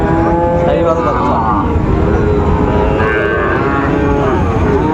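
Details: Sahiwal bull calves at Raniganj cattle market in Dinajpur, Bangladesh, on 8 August 2024, around two and a half to three months old. Drawn-out harmonic moos rise over a dense bed of bargaining voices and traffic rumble.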